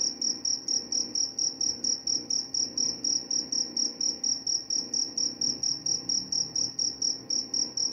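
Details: Cricket chirping steadily, a recording offered as a sleep aid and mouse repellent: high, pure pulsed chirps repeated about three times per second, each a short trill, over a faint low hum.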